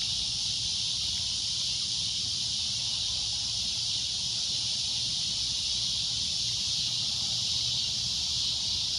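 A cicada drones loudly and without a break, a shrill, hissing buzz that holds steady throughout.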